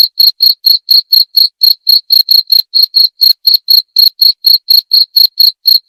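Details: High, ringing cricket chirps repeat briskly and evenly, occasionally paired, over a silent background; shared as a calming night-time sound claimed to repel naughty rats.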